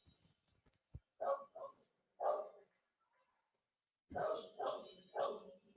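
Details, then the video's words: Pet dog barking indoors in the background during an online class; a short bark, a pause, another bark, then a quick run of three loud barks in a small room. "Me diz uma coisa, o cachorro está incomodando vocês muito aí?"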